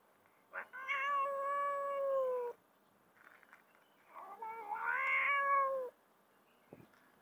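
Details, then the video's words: A mother street cat fed alongside her kittens gives two long, loud, drawn-out meows, each lasting over a second and a half with a steady wavering tone, separated by a short pause; a faint click follows. "feeding mom cat and her kittens"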